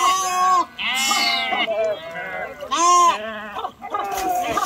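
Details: Sheep crossing a river by swimming, loud drawn-out quavering bleats about one second long, repeated three or four times with short breaks, other flock members calling behind.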